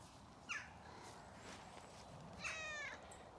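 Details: Domestic cat in an orchard on a farm in County Kilkenny, Ireland, answering a man who speaks to it: a short chirped meow, then about two seconds later a longer wavering meow, with quiet rural background noise between.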